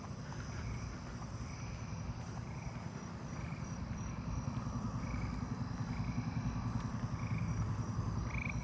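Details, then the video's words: Eastern gray treefrogs in a neighbourhood on 7/19/26 give short, musical trills as they are approached, over a steady hum of katydids and crickets, with a Nebraska conehead heard in the distance. "And it sounds like I'm approaching the eastern gray tree frogs."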